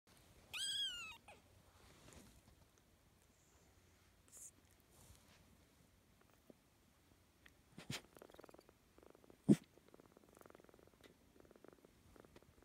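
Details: Orphan kitten cared for by a Shetland Sheepdog: a high, sliding kitten mew opens, then soft low purring runs under scattered clicks and rustles indoors.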